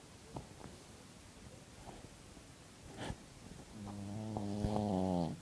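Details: Sleeping pet dog snoring indoors: scattered clicks and soft breaths at first, then a rising, rattling, buzzy snore building over the final second and a half.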